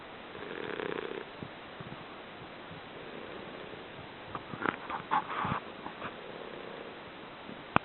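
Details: A pet English Bulldog snores with slow, raspy, rumbling breaths, broken by a few soft clicks and snuffles.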